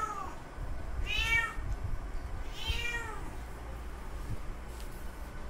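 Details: Mating call of a male cat directed at a female in heat, two separate long meows that swell and fade in an arch, with a faint low hum between them.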